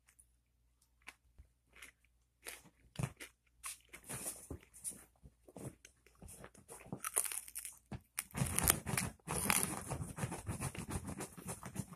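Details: Irregular crunching, chewing and crinkling noises in a small indoor room, rising to dense bursts near the end, with no animal calls.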